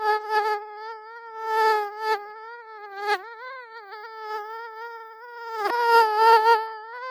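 A mosquito's thin, high whine, wavering slightly in pitch as it drifts nearer and farther.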